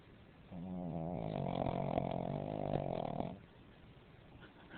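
A Pekingese snores with a low, rattling, fluttering rumble lasting a few seconds.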